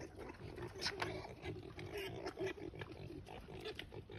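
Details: Wild boars in Barcelona give rough, low grunts and snorts in quick, uneven bursts.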